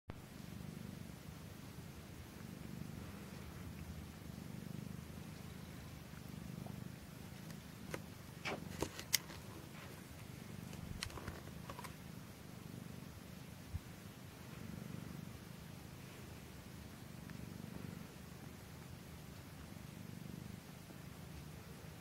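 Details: Norwegian Forest Cat named Anandi purring while feeding indoors; a steady low rumbling purr pulses in even waves throughout, with a few sharp clicks near the middle.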